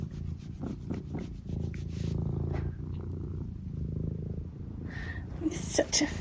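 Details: Eric, a pet cat, at breakfast time indoors, purring steadily as a low continuous rumble, with a few brief higher chirps and clatter near the end.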